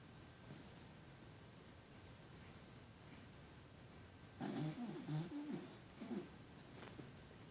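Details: Sleeping female puggle Jewles gives a short run of rough, snorting snore pulses about two seconds long after a quiet, low room hum, then a faint trailing breath.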